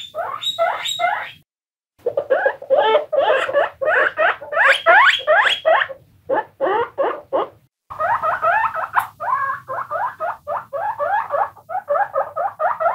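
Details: Guinea pigs, several of them, give dense bursts of squeaks, fast strings of short rising-falling notes with bright upper harmonics, broken by brief silences near two and eight seconds.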